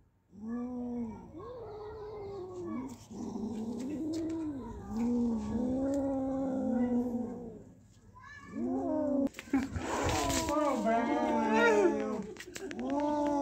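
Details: Two cats, Kaallu and Motu, after catching a big mouse: a run of drawn-out, moaning yowls that rise and fall about once a second, a brief lull, then louder strained yowls with a rustling burst, over background music.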